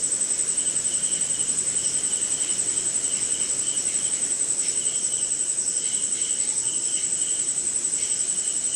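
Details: Crickets and other insects at night during rain somewhere in India: a steady, very high pulsing trill runs throughout, with a lower rhythmic chirping band beneath, over soft rain-like hiss.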